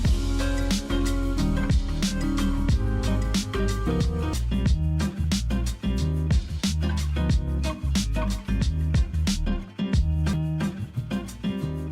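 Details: Loud funky guitar music with a steady beat plays throughout, and no animal voice can be picked out.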